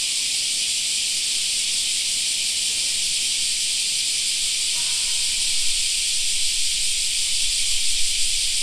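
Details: Cicadas fill a summer park with a constant high sizzling drone; a brief faint tonal sound appears midway and low rumbling follows toward the end.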